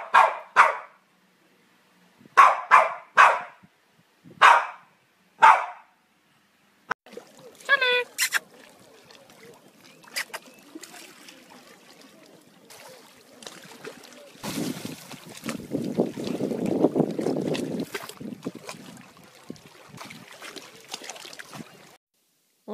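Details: Charlie the Cavalier King Charles Spaniel barks in short bursts, six sharp yaps spaced about a second apart. Rustling and a person giving spoken commands follow, then a stretch of handling noise.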